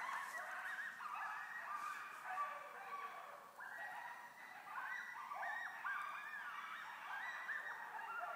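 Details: Pack of coyotes calling in a backyard at night, 2:45 am, October 10, 2011, Easthampton, Massachusetts: dense chorus of quavering yips, barks and falling wails from several animals overlapping continuously, moderately distant.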